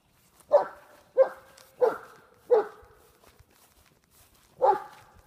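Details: German Shepherd of Czechoslovakian bloodlines, a large 125 lb male, confronting a groundhog: five sharp barks roughly every 0.6 seconds, then a pause before a last bark, outdoors in a rural setting.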